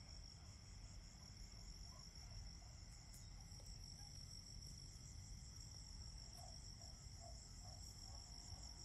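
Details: Autumn crickets keep up a dense, high, pulsing trill, with occasional faint clicks and a short run of lower chirps near the end, all over a deep continuous rumble.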